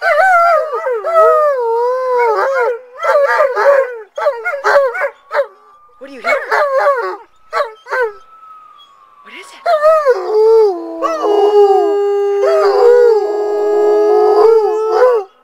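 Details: Alaskan Malamutes howling at a siren: choppy, yodel-like bursts of howls and yips broken by gaps, a thin steady siren tone in the middle, then a sustained multi-voiced howl to the end.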